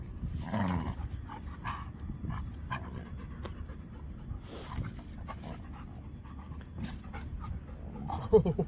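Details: Panting from an older Labrador Retriever during rough play, soft steady huffing breaths under scattered clicks and a person's calls of 'ho, ho'.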